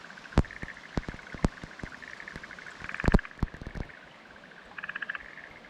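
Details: Black-spotted pond frog calls from a fallow rice field in Kumakogen, Japan, 15 May 2022: faint rattling pulsed croaks in short bursts, with scattered loud clicks and a steady background hiss.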